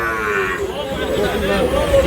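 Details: Sahiwal bull calves at a cattle market with a Dhaka farmer, 16 March. A short, nasal moo opens the moment before bargaining voices and crowd chatter take over.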